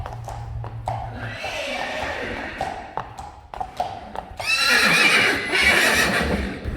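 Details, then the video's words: Friesian horse giving a loud, shrill, quavering whinny in the later part, with a wavering pitch that rises and falls, preceded by hoof clip-clops and sharp knocks. "Neighing horses. More than 100 times | April Fools' Day | Friesian Horses"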